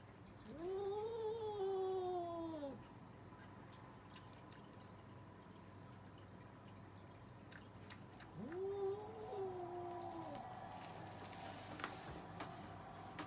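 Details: Cats in an argument trade two long, mournful yowls several seconds apart. Each swells quickly, holds a wavering tone and bends down at the end. Quiet indoor background fills the gap.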